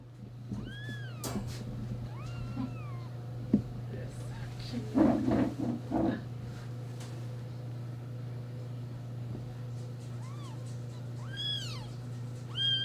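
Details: Four-day-old kittens in a neighbour's litter jostle and paw at each other over their mother; thin high arched mews come in scattered bursts, with a louder scuffle and voices in the middle and a steady low hum throughout.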